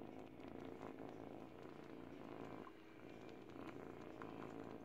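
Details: Eight-week-old kitten purring while teething on a baby blanket: a steady low rumbling purr runs throughout, with soft clicks and rustling of fabric from chewing, and a brief dip in the purr near the middle.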